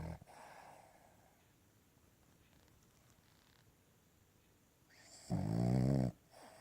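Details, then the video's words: Cavalier King Charles Spaniel asleep on a lap during a workday, giving one loud, drawn-out, rumbling snore of under a second near the end after a quiet stretch of soft breathing indoors. "Cavalier King Charles Spaniel Snoring on My Lap"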